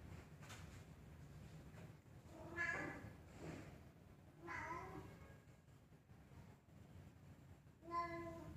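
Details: Black cat up a tree giving three drawn-out, harmonic meows, the first around two and a half seconds in, the next near four and a half, and a shorter one at the end, over a low steady background hum.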